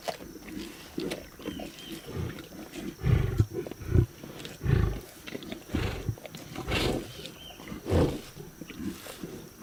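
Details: Lions eating a zebra carcass: deep, rumbling growls in uneven bursts, the loudest around the middle of the clip, with a faint steady high whine in the background.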